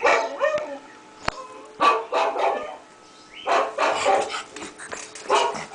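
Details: A young pug, five months old, barks on hearing other dogs bark: a few rough, mid-pitched barks spaced about a second apart, then a tighter run of yaps near the end, with other barking blended in.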